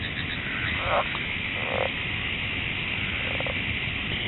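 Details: Southern leopard frog call played back through a staticky connection during a talk on amphibians of the Eno: a few short croaky, chuckling bursts spaced about a second apart over a steady hiss.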